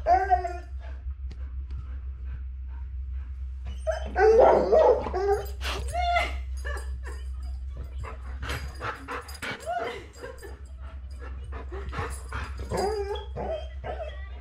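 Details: Pet Labrador Retriever, female, responding to seeing herself on screen with high whimpering whines and scattered yips, loudest around the middle, mixed with background music and a woman's voice speaking to her.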